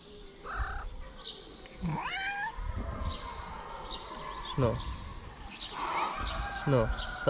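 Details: Hungry stray cats in Morocco asking for food, with a few rising and wavering meows threaded through a man's Arabic talk and rustling outdoor noise.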